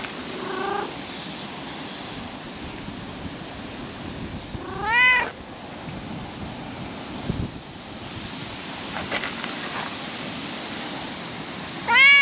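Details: Outdoors on a park table at sunset, a calico cat lets out a brief, sharp meow midway through steady wind rumble, and another meow begins right at the end.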